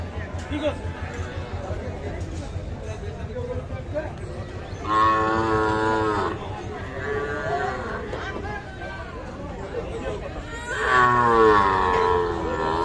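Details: Young Sahiwal bull calves, about three to four months old, at a cattle market in Bangladesh; two long harmonic moos around five and eleven seconds over steady crowd chatter and market noise.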